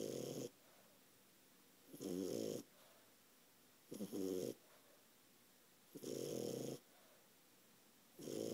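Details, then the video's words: A 4-month-old French Bulldog snores in loud, raspy rumbles that come roughly every two seconds. "Ralphie the French bulldog snoring"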